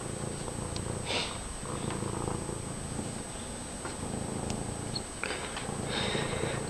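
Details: Loud continuous purring from Fred, a friendly domestic cat moving about: a deep, even, pulsing rumble held throughout, broken only by a few faint sniffs and clicks.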